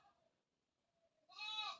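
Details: Goat calling, said to be hungry though grass had been given, at home in Bangladesh: a faint low tone, then a short loud nasal bleat with rich stacked harmonics lasting about half a second.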